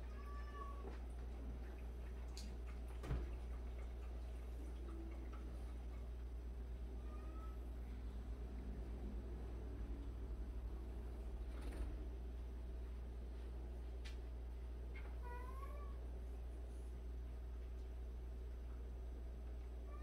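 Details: Cats from a household of 76 rescued and abandoned cats. Short, soft meows rise and fall now and then over a steady low hum, with faint clicks and rustles in between.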